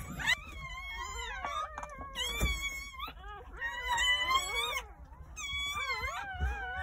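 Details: Litter of newborn Jindo dog puppies, nine born on New Year's Day in a countryside house, wailing in long, harmonic, wobbling cries in bursts separated by short pauses, a few soft knocks beneath.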